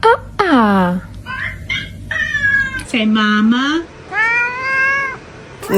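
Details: Domestic cat from a funny cat compilation giving several drawn-out meows, some sliding steeply downward and others wavering, with a person's voice nearby coaxing it to talk.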